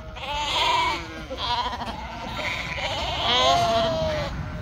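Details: Domestic sheep on a farm in northern Spain, several overlapping wavering bleats rising and falling, some high and nasal, others lower, with a short pause near the one-second mark.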